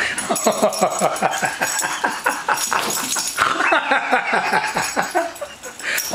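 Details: A two-year-old female Staffordshire Bull Terrier protests against her Sunday night bath with a rapid series of short, choppy whining grumbles, roughly a dozen pulses, with a person's voice coaxing nearby.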